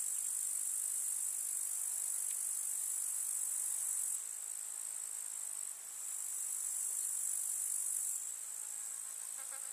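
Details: Grasshoppers chirping in a summer meadow in the countryside, a dense, steady, very high-pitched shrill buzz from many insects, with a small drop in loudness midway before the chorus swells again.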